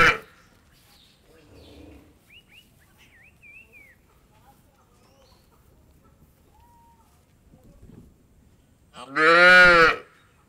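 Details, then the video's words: On an Indian dairy farm, one loud brief moo closes a quiet stretch that holds faint bird chirps and soft background knocks. "Cow Moor"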